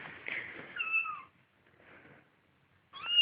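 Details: Domestic cat indoors at home: a short, high meow sliding downward, a quiet gap with faint murmuring, then another sharp rising meow that cuts off abruptly.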